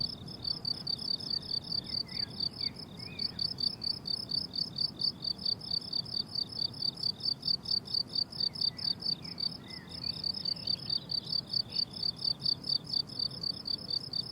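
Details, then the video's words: Crickets on a blooming summer meadow, chirping in fast, steady pulses at a high pitch, about two chirps a second, with a faint low hum and occasional distant bird notes. "Relaxing Cricket Sounds on a Summer Meadow"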